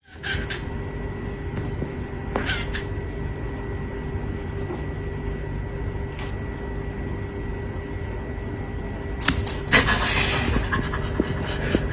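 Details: Steady low hum with a constant tone, occasional clicks and a brief rustling burst near the end, without any animal call.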